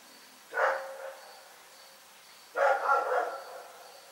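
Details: Rex the dog barking at night: two loud, hoarse barks about two seconds apart, the second longer and broken into quick pulses, over a quiet background.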